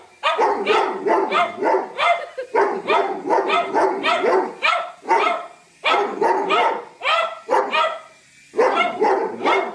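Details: Doberman featured in a funny dog compilation, letting out volleys of loud, rough barks in quick succession, grouped into runs broken by short silences.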